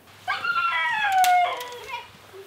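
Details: Rescued singing dog, said to have sung the whole night before, giving a short wavering howl that slides gently downward for about a second, then a brief softer tone, in a quiet room.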